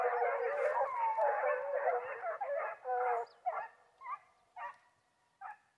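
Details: Several Foxhounds on a wild boar hunt in Brazil bay together in a dense, wavering howling chorus that breaks off into short separate yelps and barks spaced about half a second apart.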